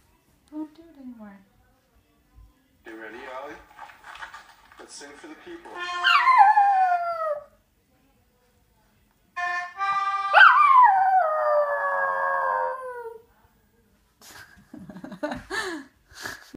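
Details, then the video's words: Ollie the dog sings along with an accordion. After a person urges him on with soft talk and brief instrument notes, he gives two long howls that begin high and slide steadily downward, each lasting a couple of seconds, followed by scattered quieter sounds. "Ollie the Dog Sings to Himself Singing with the Accordion III"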